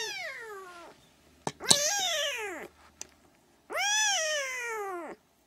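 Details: Siamese kittens at three weeks giving loud, long meows that start high and slide downward, three calls in five seconds, separated by brief clicks and a sharp tap.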